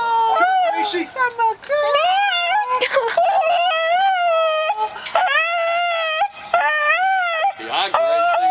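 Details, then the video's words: Female pet dog emotionally greeting returning family indoors, giving sustained wavering whines and moaning howls that bend up and down in long phrases, mixed with affectionate human voices in a small room. "Our dog is emotional"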